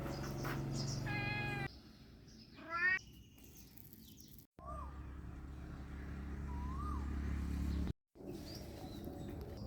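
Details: Thai cat in Lamphun, Thailand, on a cool morning after overnight rain; two short harmonic meows, the second rising and louder, followed by birds chirping with whistled rising notes against a low background hum.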